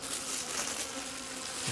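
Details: Bees at a hidden wild honey nest out in the wild, giving a steady low droning buzz with a hum line and faint overtones, over a hissy broadband background throughout.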